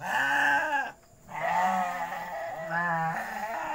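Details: Goats in a pen at night giving long quavering bleats, two drawn-out calls separated by a brief pause, steady and loud.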